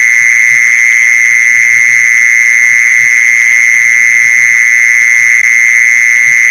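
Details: Mole cricket calling, used as a lure for mole crickets: a constant shrill buzzing drone at fixed pitch, smooth and uninterrupted, over scattered quiet low clicks.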